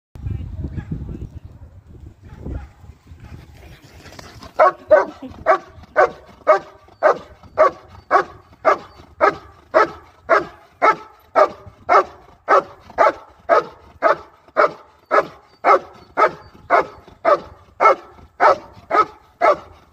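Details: German Shepherd in IGP competition training, barking steadily and rhythmically about twice per second for some fifteen seconds, with evenly spaced, forceful barks after a few opening seconds of quiet voices and background noise.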